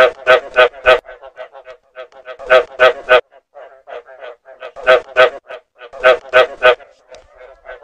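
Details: Repeated frog calls meant as a lure: clusters of three to four loud, rasping croaks alternate with quieter rapid pulse trains, the pattern recurring about every two seconds.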